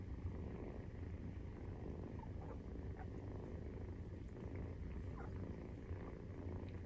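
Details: Purring of Maine Coon cats during nursing, kittens 43 days old; deep continuous throbbing rumble, even in level throughout, with a few soft ticks and rustling sounds.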